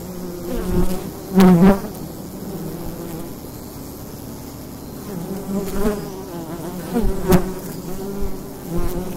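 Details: Bees buzzing at the entrance of a wild hive in daytime during fall, a steady low hum with several louder buzzes as individual bees pass close, around one and a half and seven seconds.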